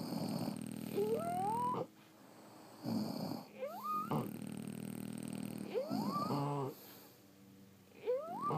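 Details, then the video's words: Snores from sleeping French Bulldogs: deep, buzzy, rattling snorts alternate with sharp, rising whistled wheezes, breaths coming every couple of seconds. "Snoring French Bulldogs"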